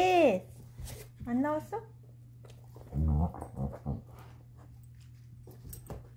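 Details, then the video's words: Chaco, a female black Labrador–Coonhound mix, trying to get her ball out indoors: high whines slide downward in the first two seconds, then a low growly burst around the middle, with people talking throughout. "Chaco, the Black Lab Hound, knows how to get her ball out"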